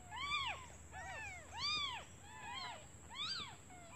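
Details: Several newborn kittens crying for their absent mother out of hunger while she searches for food; shrill arching mews, rising then falling, come roughly every half to one second over a constant high-pitched hum.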